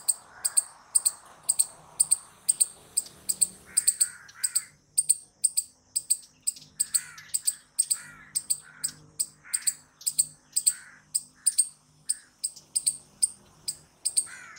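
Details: A loud squirrel repeats crisp, high chirps at a steady pace, roughly two per second, for the whole stretch. Fainter, lower squeaky notes come and go behind.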